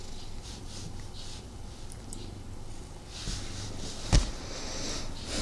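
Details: Male domestic cat purring while snuggling with its owner indoors, somewhat restless because of the recording; a low, pulsing rumble fades in and out, with soft rustling of fur and fabric and a sharp thump near the end.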